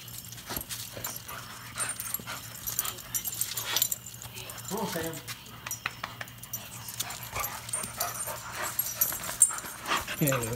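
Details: Pet dog Odin greeting returning owners after two weeks apart, an excited reunion at home; one rising-falling harmonic whine near the middle amid rustling, thumps and human voices.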